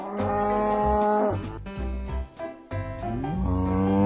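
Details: Cattle mooing in a series of sustained, even-pitched lows with strong harmonics. The calls are broken by short gaps and end with a rising, drawn-out moo, all over a pulsing musical backing.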